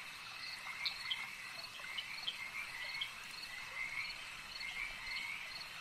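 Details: A lake chorus of frogs, many voices overlapping in a constant high shimmering trill, punctuated by brief louder croaks and chirps scattered irregularly throughout.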